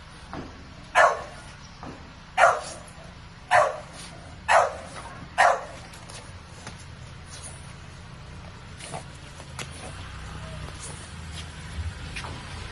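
A French Bulldog gives five short, breathy sniffles in quick succession, then falls quiet.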